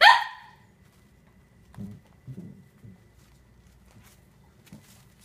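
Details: Young Cavalier King Charles Spaniel puppies, four weeks old, playing together: one loud sharp yap opening, followed by several low, soft growls and grunts spaced about half a second apart.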